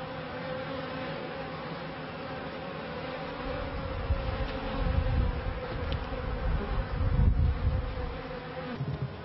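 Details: Honey bees humming at early hives in a bee yard, 1994; a constant layered drone, joined later by deep rumbling bursts of handling or wind noise that swell and fade twice.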